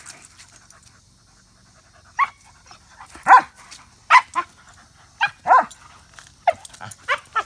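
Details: Short, sharp yipping barks from a pet dog, Samson being 5 months old and Odin 5 years, given in irregular bursts after a request to speak, quick clipped yelps scattered over several seconds in a quiet setting.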